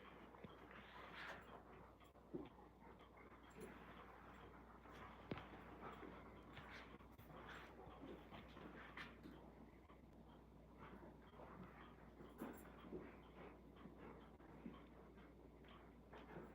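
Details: Indoor wrestling session of Alaskan Malamutes at home on a chilly evening near 40°: continuous panting and rustling bodies, broken by a few short whines and snorts, with a low household hum underneath.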